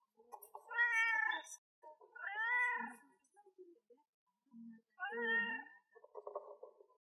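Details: Cat crying in a cute voice, giving three drawn-out, tonal meows about two seconds apart, each bending up then down, with soft shorter mews and small sounds between them.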